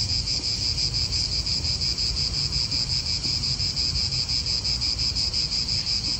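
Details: Italian park cicadas singing together, a continuous shrill droning buzz that pulses regularly around three times per second, with soft low wind noise beneath.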